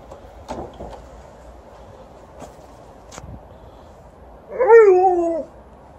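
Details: Alaskan Malamute playing around with Panda: after a quiet stretch with a few soft taps, one drawn-out, whiny yowl of about a second near the end, bending downward in pitch with rich overtones.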